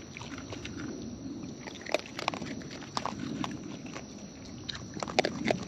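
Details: Raccoons in the wild feeding at close range; irregular wet smacks and crisp crackling bites come in small clusters, louder toward the end, against a low rumbling outdoor background.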